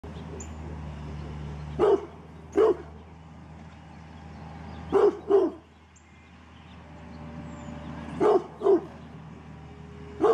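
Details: A Rottweiler guarding its backyard gives deep, gruff barks in quick pairs, spaced a few seconds apart.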